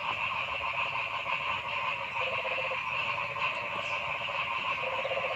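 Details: Forest frog chorus: a thick wall of overlapping trills and buzzes from many callers, with a few short rattling croak bursts standing out, the longest near the end.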